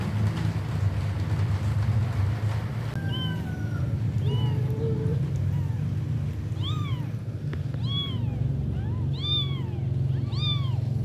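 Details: One-week-old kitten giving a run of high, arched, nasal meows, first faint and drawn out, then about six clear rising-and-falling cries in quick succession over the second half, with a steady low rumbling hum underneath.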